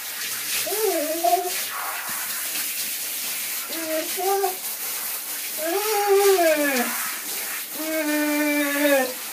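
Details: A singing dog gives four separate wavering, howl-like notes, each rising then falling and lasting about a second, with gaps between them, over a steady hissing background.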